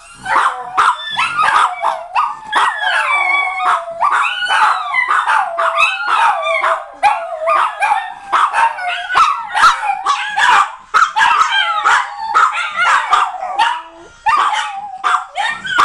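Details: Dave leads and Leo, Bambam and Tilly join in as the pet dogs howl with the EastEnders theme. A dense, continuous chorus of bending, wailing howls is mixed with rapid high yips for about sixteen seconds, with barely a break.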